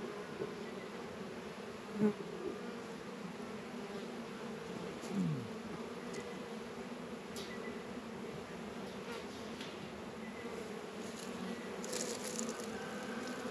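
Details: Honey bees working at a Warré and Langstroth hive in an apiary in northern Kentucky on a 72-degree February day; a steady low buzzing hum holds throughout, with a few brief sharper passes of single bees close by.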